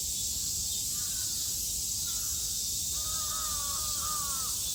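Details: Steady shrill cicada buzz in Japan, summer 2022, with crows cawing clearly over it, a few short caws early, then a run of harsh caws in the last two seconds.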